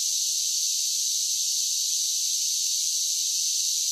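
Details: Summer cicadas singing: a steady, unbroken high-pitched buzzing drone with an even, shimmering hiss and no pauses across the whole stretch, no low sounds at all.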